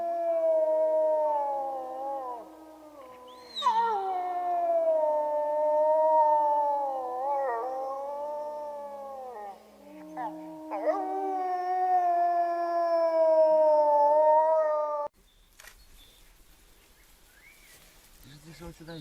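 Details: Wolf roaming free on the steppe, howling in long smooth drawn-out notes that slide up and down, with lower voices joining beneath; after about fifteen seconds the howling ends and only faint noise remains.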